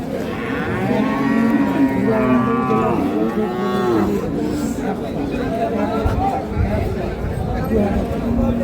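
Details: Dairy cows of Sahiwal, Sindhi and local breeds with calves at the Ambari cattle market, Parbatipur, Dinajpur, on 20/4/2026: several drawn-out, rising-then-falling moos in the first four seconds over constant crowd chatter.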